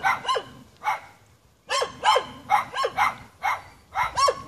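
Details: Dogs in the Jamaican hills, barking at the person recording them, give about eleven short sharp barks, two at first, then a pause, then a brisk, fairly even series.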